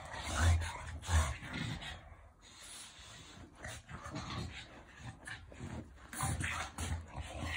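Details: French Bulldog in affectionate play, giving low rumbling growls in uneven bursts, loudest near the start and again toward the end, with scuffling noise throughout.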